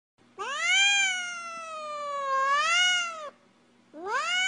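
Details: Domestic cat giving long siren-like meows: a drawn-out wail over two seconds that dips and rises again, then a second rising call begins; steady low hum in background.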